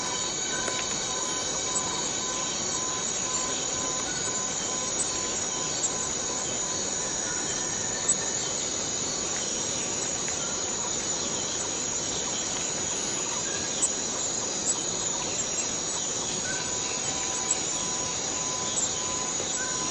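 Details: Steady, piercing drone of forest cicadas, constant in pitch and loudness, with scattered faint whistle-like notes and occasional small clicks underneath.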